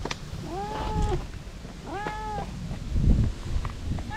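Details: Stray cat that comes over to be petted when it sees a face, giving two clear harmonic meows, each about half a second and arched in pitch, over low background rumble.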